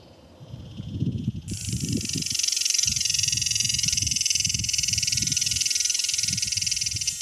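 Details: Cicada in Palm Desert, California, during mating season, the male calling out to a potential mate; after a second of low rumble a loud metallic buzzing screech starts abruptly and holds steady, over ongoing low background rumbling.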